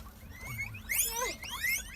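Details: Farmed guinea pigs at bath time during cleaning and disinfection, one badly hurt by mites; overlapping high, sliding whistled squeaks rising and falling, several rapid in succession, with low background noise.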